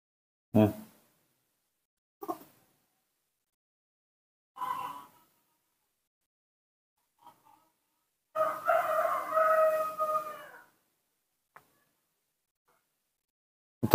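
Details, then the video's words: Hand-raised newborn monkey begging for milk: several short squeaky cries spaced a few seconds apart, then a longer wavering wail of about two seconds, followed by faint clicks and another sharp cry at the end. "makes a unique sound, cute and beautiful, that's how newborn monkeys ask for milk"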